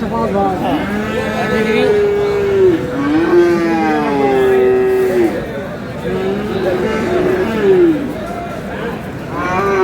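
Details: Bull calves, Friesian and crossbreds aged about eight to eleven months, low repeatedly at the Aftabganj livestock market in Dinajpur, Bangladesh. Long, level moos dip and swell one after another, with traders' voices and faint vehicle noise.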